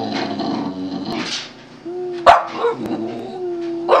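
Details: A male Boston Terrier sings in drawn-out, wavering tones broken by short sharp yips, coaxed by his owner to sing for a treat while showing off tricks.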